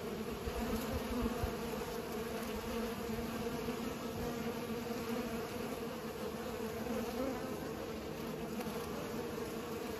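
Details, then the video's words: Bees busy pollinating make a constant low hum with a strong tone around 500 and a lower band beneath, unbroken for ten seconds. "Bees are pollinating"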